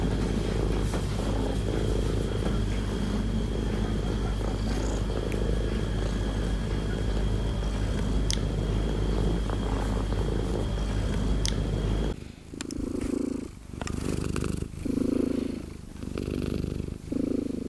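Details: Friendly female cat on a lap, purring as she demands attention: a steady low rumble for about twelve seconds, then quieter, broken rhythmic rumbling pulses with handling noises.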